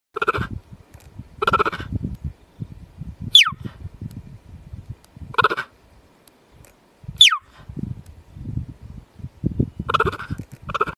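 A cheetah mother gives short bleating calls and sharp, high, falling chirps to keep contact with her young.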